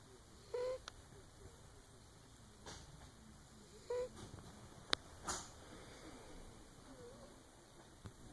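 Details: Shop cat Mr Whiskers snores in two brief nasal whistles about three seconds apart, with scattered clicks and taps from the room and a low steady hum behind.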